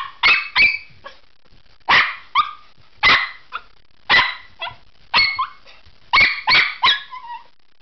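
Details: Pomeranian barking at its owner who is leaving: high, sharp yaps in pairs, often trailing into a short whine, about a dozen barks in eight seconds with steady rhythm.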